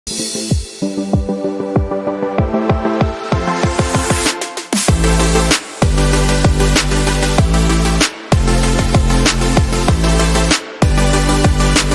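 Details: Loud electronic drum and bass music with heavy beats throughout, and no animal sound.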